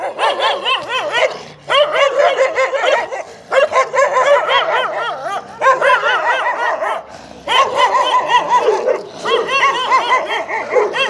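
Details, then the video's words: Dogo Argentino confronting two street dogs, a rapid run of loud, harsh barks in bursts with brief pauses, several dogs overlapping in a busy exchange. "Dogo Argentino vs two street dogs"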